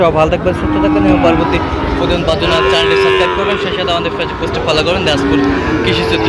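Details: Young Sahiwal bulls for sale at Raniganj market in Gazipur, Bangladesh, in August 2025, giving steady low moos, one swelling and arching near the middle, over loud nearby talk and a busy crowd.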